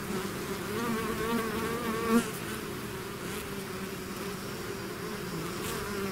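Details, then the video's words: Bee swarm pouring out of its hive, a dense, steady low drone with wavering overtones and one bee buzzing loudly past just after two seconds. "bees therapy swarm natural buzzing sound"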